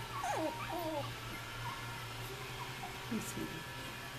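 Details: Australian Terrier puppies, three and a half weeks old, at nap time: a few high, thin whimpers that bend downward, then quiet with a steady low hum, and another short squeak near the end.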